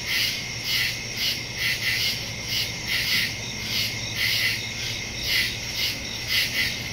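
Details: Night chorus of crickets in the woods on September 2, 2023, captured by phone with a stereo microphone; shrill pulsed chirps swell and fade in quick regular beats above a continuous high ringing tone.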